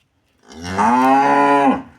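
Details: Single sustained cow moo during a veterinary procedure removing metal from the stomach: it swells in over half a second, then holds a full, even, harmonic tone for about a second before fading.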